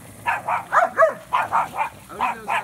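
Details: German Shepherd at a lake during a kayaking outing, accompanied by a Boxer and a Chorkie; a quick series of sharp, mid-pitched barks, about nine in under three seconds, in two short bursts with a brief pause between.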